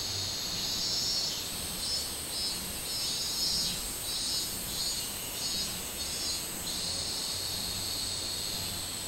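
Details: Summer song of a minmin cicada, recorded 24 July 2016: high-pitched buzzing bursts pulse at a regular pace, rising and falling in waves about a second apart over a continuous shrill hum.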